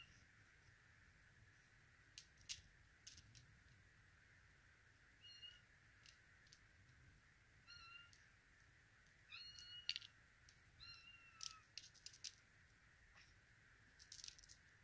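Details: Russian Blue kittens in Vancouver, among them a female named Zoya born September 6, 2023; a few thin, high meows, mostly short and flat, spaced several seconds apart amid clicking and rustling noises.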